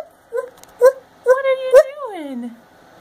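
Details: Mattie, a five-year-old female gibbon kept as a pet, calling indoors: a string of short, clear tonal hoots followed by a longer note that slides steadily downward into a low wail, with a person's soft voice nearby.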